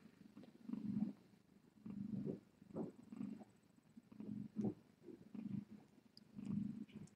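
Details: Cat purring on a live-streaming cam at the Tiny Kittens Society rescue during a late-night visit with Tip, indoors; low, rumbling purr in steady pulses roughly every second, faint background hiss and no other clear sounds.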